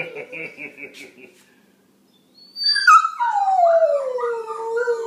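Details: Pet dog howling in response to other dog sounds: after faint murmuring and a pause, a loud long wavering howl starts high and glides steadily downward over about two seconds.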